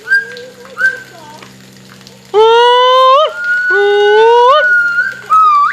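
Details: Two white-chested gibbons singing together: long whistled notes that swoop upward, with rich harmonics, in loud bursts broken by short pauses and a sustained level whistle near the end.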